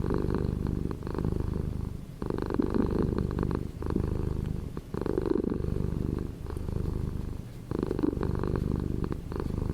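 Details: Continuous low purring from a cat, a dense buzzing rumble. Louder, harsher stretches alternate with quieter ones every one and a half to two seconds, following its breathing.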